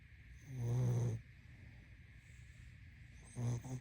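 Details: A sleeping pug's snoring: one long, low, gravelly inhaled snore followed by a shorter fainter one near the end, against a soft steady hum.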